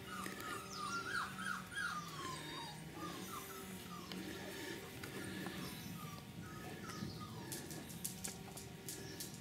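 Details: Litter of four-week-old Cane Corso puppies whimpering: many short, high, downward-sliding whines repeated rapidly and overlapping, with a steady low hum and background rustle.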